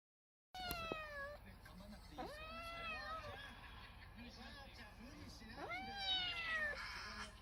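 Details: Three-month-old rescued kitten, once abandoned, weighing 1.75 kg, playing with a frog toy for the first time and with a box; several drawn-out rising then falling meows, some squeaky and high, with a person speaking softly in the background.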